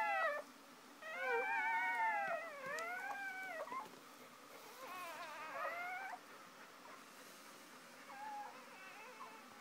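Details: Just after whelping, mother dog Shoobie is with her first three puppies. Wavering, whiny squeals come in a dense burst for about three seconds, return briefly later, then fade to faint, sparse whines.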